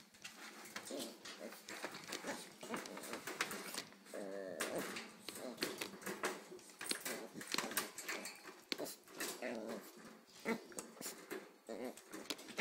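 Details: An 8-week-old Pembroke Welsh Corgi pup and a 6-month-old female Corgi give high, wavering whines and short yips in a small room.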